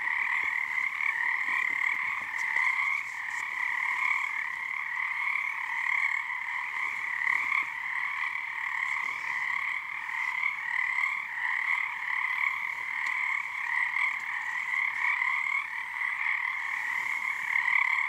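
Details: Nighttime frog chorus on Harstine Island, Washington, under the season's first full moon, the callers syncing their tone into resonance; steady overlapping trills in two bright bands, gently rising and falling in volume, with faint scattered ticks.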